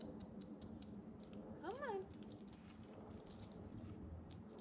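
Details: Single short, bent meow from Olive, a female tabby cat making her way down during a rescue, set against steady background hiss and faint ticking.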